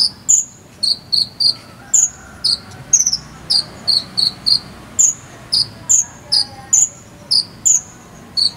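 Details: Chirping cricket used as a konin bird lesson: rapid, sharp high notes in twos and threes, alternating between a higher and a lower pitch, repeated steadily throughout over a faint hum.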